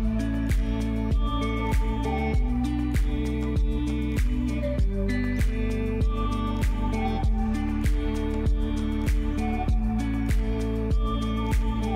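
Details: Gentle instrumental music with a steady plucked beat and sustained tones throughout, no animal sounds.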